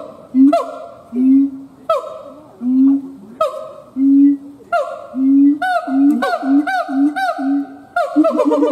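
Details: Siamang gibbon, a male, howling: loud nasal hoots with rich stacked overtones, first spaced about a second apart, then quickening into a rapid run of shorter notes toward the end.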